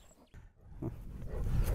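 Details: Lion roaring: a deep, low rumbling roar that swells from near silence after a brief click and keeps building in loudness to the end, with no other clear sounds.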